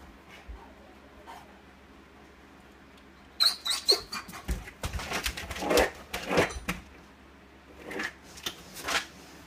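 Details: Cleo, a Tibetan Mastiff puppy, fusses indoors when one of her family goes out without her. After a quiet start come a few squeaky whines, then a burst of harsh yelps and whimpers, a pause, and more yelping.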